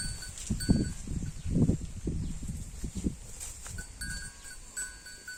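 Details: Holstein Friesian cow eating grass: low, crunchy munching and tearing bursts about once a second, fading toward the end, over a steady high whine and faint ringing tones in the background.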